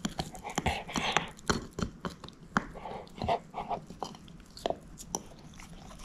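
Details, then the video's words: Shepherd mix dog Moose chewing a bone at home, a steady run of wet, crunchy bites and gnawing clicks with hardly a pause, in a small room. "SHEPHERD EATING BONE ASMR"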